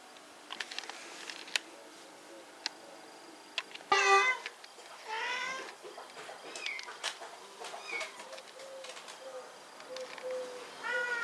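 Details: Rescued cats awaiting adoption: several short harmonic meows, one loud and rising around the middle, among frequent clicks, rustling and faint voices in a busy room.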